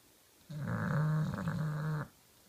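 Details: Pet bulldog Kenta, sound asleep, lets out a single drawn-out, buzzing snore of about one and a half seconds, low and steady.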